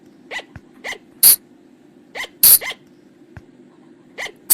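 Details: Forest sound of the flying lemur (บ่าง, พุงจง), used for luring at night: spaced, short, rising squeaks alternating with sharp explosive sneeze-like bursts, about one every half second to second, over a low droning hum.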